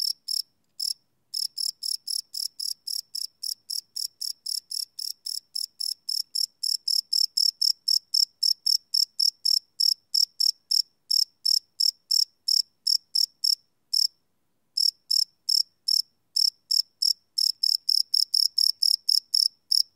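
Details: Night-time cricket chirping captured live on a Sony PCM D100 field recorder, a steady train of high, shrill pulses about four per second, briefly pausing near fifteen seconds, with slightly uneven spacing throughout.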